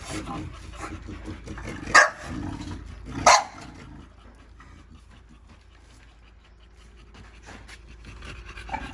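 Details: Pocket American Bully, a daughter of GR CH El Toro, lets out two short, loud barks a little over a second apart, with soft breathing sounds and a low background rumble around them.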